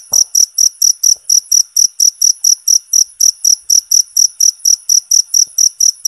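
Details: Cricket with a constant, loud voice, offered as a songbird training sound; shrill chirps follow each other quickly and evenly, nearly four each second, with nothing else heard.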